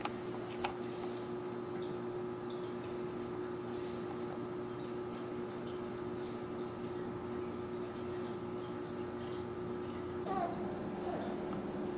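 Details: A quiet indoor room carries a constant electrical hum, a single sharp tick near the start and a soft rustle toward the end.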